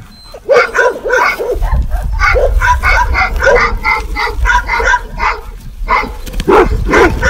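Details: Dogs barking in a combined medley, rapid overlapping barks nearly continuous, with a low rumbling background noise under the calls.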